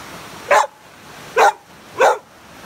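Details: Three loud, clipped barks about a second apart from a home group of rescued pits, some hard to place for adoption, as dogs Angel, Blu and Ramsey share puppy-love kisses.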